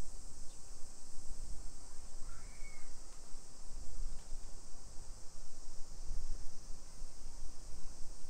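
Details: Summer cicadas in a hillside residential neighborhood of Nisshin city, suburban Nagoya, Aichi Prefecture, Japan, at 1 PM on 28 July 2021: a steady high hissing drone runs throughout over low rumbling street and footstep noise, with a brief faint whistle.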